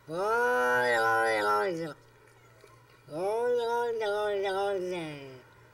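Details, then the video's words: Domestic cat giving two long, drawn-out harmonic yowls, each about two seconds, the second wavering and falling at the end, separated by a short quiet gap with low hum. "14 Weird Sounds Cats Make"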